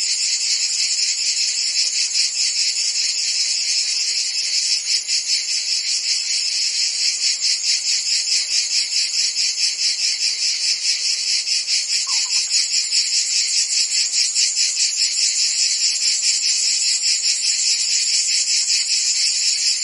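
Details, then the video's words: Steady chorus of crickets and insects, high buzzy pulses repeating rapidly and blending into a constant shimmer, one brief faint lower chirp near the middle; soothing natural background for relaxation and tinnitus relief. "Cricket and Insect Sounds"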